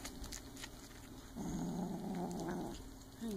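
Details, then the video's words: Silver Bengal kitten growling while playing with a toy: a low, rough, sustained growl swells up partway through and holds for over a second, with faint scratchy clicks before it and a short rising squeak near the end. "Silver Bengal kitten growling and playing with toy"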